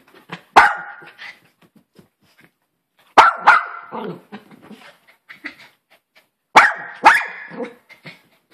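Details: A Maltese Poodle gives three separate bursts of barking, each a loud bark or double bark followed by softer yips and snuffles, with short quiet gaps between bursts.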